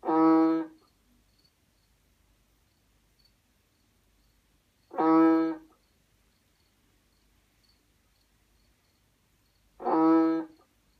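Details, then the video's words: Banded bullfrog, Kaloula pulchra, giving three deep, nasal, lowing calls. Each is rich in harmonics and lasts under a second, repeated about every five seconds against a quiet, still background. "Richiamo Kaloula Pulchra (Rana toro asiatica)"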